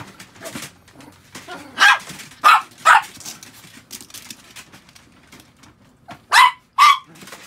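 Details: Pet Chihuahua barking in short, high, sharp yaps: three quick barks in a row, a pause, then two more close together, with faint clicks and household noise between.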